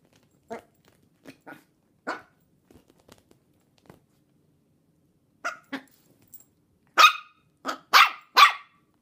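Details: Puppies of a Chihuahua and long-haired Dachshund mix, 10 1/2 weeks old, indoors; soft scattered yips and squeaks build to three loud, sharp barks near the end.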